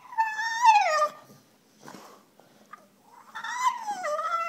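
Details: Female French Bulldog whining while begging for her bone: a long, harmonic whine sliding downward, a quiet snuffling pause, then another drawn-out whine that dips and levels off.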